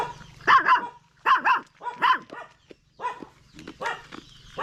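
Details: Barks from a stray dog come in paired bursts roughly every three-quarters of a second, harsh and mid-pitched, then softer, more scattered yelps near the end, with a constant low hum beneath.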